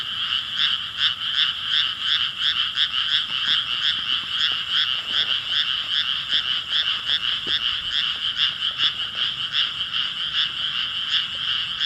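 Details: Many frogs croak together in a May 2017 chorus, rapid rhythmic pulses repeating roughly every third of a second, layered voices forming a constant buzzing drone with faint clicks beneath.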